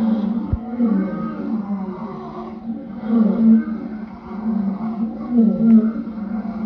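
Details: A lion gives deep, throaty moaning calls, three main swells spaced a couple of seconds apart, with a sharp click near the start.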